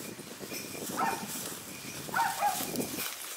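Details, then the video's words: Hunting dogs on a wild boar hunt give short, yelping barks from not far away after chasing a boar that fled; they bark at the large boar while keeping their distance, and the sound carries faintly through open air. "イノシシを追跡した犬たちがそう遠くない場所で鳴いています。"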